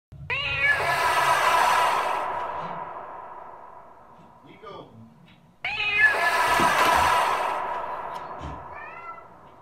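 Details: A Bengal cat locked out of the bathroom gives two long, loud, drawn-out meows at the closed door, each swelling and then trailing off.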